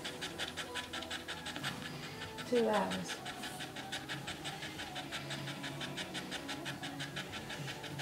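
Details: First-time red Staffordshire Bull Terrier bitch Rosie labouring in her whelping pen before delivering her pup; steady quick huffing pants repeat throughout, briefly overlapped near the middle by a short rising whine or voice.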